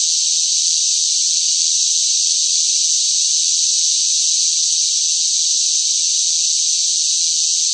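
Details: Loud cicadas singing in sweltering summer heat: a dense, unbroken high-pitched buzzing drone that holds steady in pitch and volume throughout, with no pauses and no other sounds.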